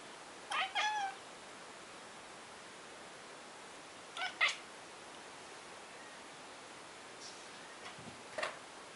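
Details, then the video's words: Ginger cat watching a fly and making odd noises: short bursts of quick chirping chatter, three bouts roughly four seconds apart, with a faint fourth near the end and a quiet background between them. "seeing a fly and making weird noises!"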